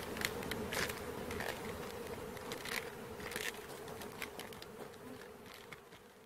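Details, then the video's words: A honey bee swarm being caught gives a thick, even buzz, while repeated crisp taps and rustles sound over the humming mass of bees. "Catching Bees start to finish bee swarm"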